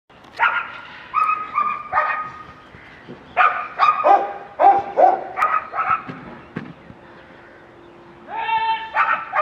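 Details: German Shepherd from a breeding kennel, giving loud harmonic yelps and howl-like calls in bursts, some pitched steady tones, pauses between groups, with a rising series near the end.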